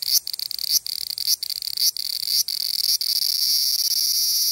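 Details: Large brown cicada (Graptopsaltria nigrofuscata) song, recorded 14 July 2011 in Japan: a steady, dry, high-pitched sizzling buzz broken by brief clicks.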